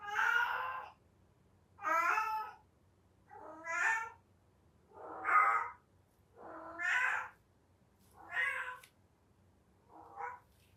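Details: Domestic cat in heat giving the cry typical of that period: seven drawn-out, wavering meows about a second long, spaced roughly every one and a half seconds, the final one shorter and softer.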